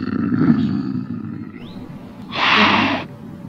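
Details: Lynx giving a low, rumbling growl, then a short harsh hiss burst near the end, with a brief upward squeal in between.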